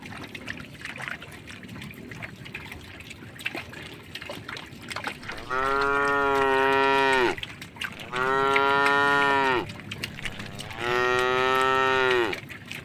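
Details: A tame cow walking through a puddle on a forest-edge road. Several seconds of faint background noise come first, then three loud, sustained moos follow one another at steady two-second gaps.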